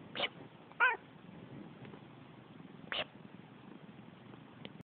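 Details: A male house cat that dislikes sneezing answers back with short meows: two quick complaints close together near the start, then a third a couple of seconds later, and a faint click at the end against low background hiss.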